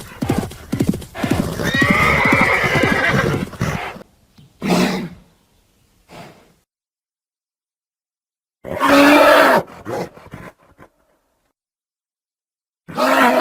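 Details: Horse neighing: a long, loud, trembling whinny lasting about three seconds, followed by short snorts and a second strong, wavering neigh after a brief silence, with another burst starting at the very end.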